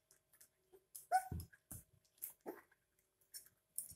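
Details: Puppies, 22 days old, drinking milk from a bottle indoors: one brief, high, tonal whimpering squeak that rises and falls, followed by soft lower whines, amid wet sucking and clicking feeding noises.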